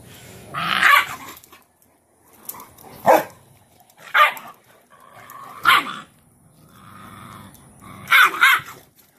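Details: Cane Corso mother called Cashmere disciplining her most dominant female puppy indoors, laying her down into a submission posture; five harsh, noisy vocal bursts about every one to two seconds, with quiet gaps between them.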